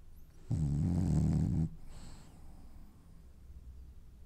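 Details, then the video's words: Dreaming French Bulldog giving one loud, low, rattling snore lasting about a second, then fading into soft, quiet breathing. "Snoring French bulldog has dreams"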